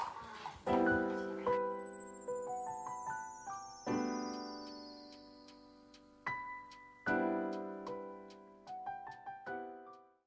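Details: Solo piano plays struck chords and single notes that ring out and fade, with a long high tone sliding downward through the first half.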